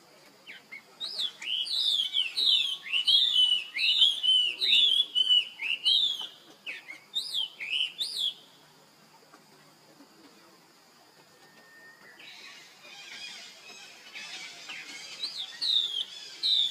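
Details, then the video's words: Young monkey calling for help while his sister Rainbow runs very fast; rapid series of high, falling squeals, about two each second, for eight seconds, then near silence and a few fainter cries at the end. "Rainbow Run Very Fast While Her Young Bro Call Helping it"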